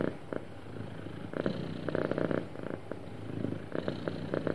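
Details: Happy pet cat purring, soft low hum rising into buzzy pulsing bursts near the middle and end, quieter rumble between them, close and indoors.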